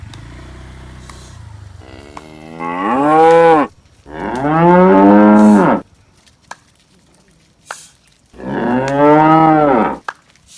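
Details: Tame cattle in a grassy setting bellow three times in close succession, each long, loud and rich in harmonics, the first rising in pitch, with brief knocks between calls.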